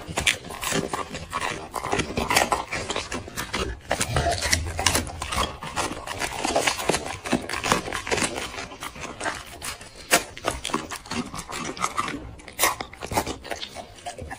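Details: Black dog eating chicken and vegetables indoors: dense, irregular wet chewing, crunching and lip-smacking clicks throughout, with scraping against a plate and no barks or vocal calls.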